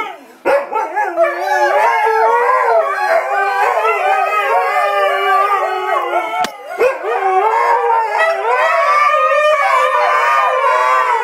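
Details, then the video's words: Several Siberian Huskies singing together on command, a loud chorus of wavering, overlapping howls that rise and fall continuously, with a brief dip near the middle before the group resumes. "Husky song"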